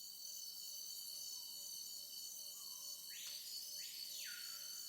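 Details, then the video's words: Cicadas chirping deafeningly in a forest at dusk: steady high-pitched droning bands throughout, a faint short low tone repeated in a row, and two loud arching whistled sweeps near the end. "chirrido ensordecedor de las cigarras las aves volviendo a sus árboles para pasar la noche"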